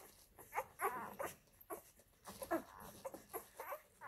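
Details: Nursing Labrador Retriever puppies from an F litter at mother Molly's teats. They make brief, thin squeaks and whines that come in scattered clusters, some of them rising slightly in pitch.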